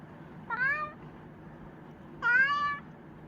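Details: A Chinchilla cat gives two clear meows about 1.7 seconds apart. Each rises slightly and then levels off, with rich harmonics, over a low steady indoor hum.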